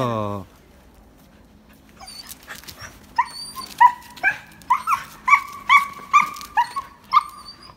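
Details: Haroo, a Samoyed dog, gives a run of high, whining yelps, each with a short upturned pitch, repeated roughly twice a second after a brief human voice at the start.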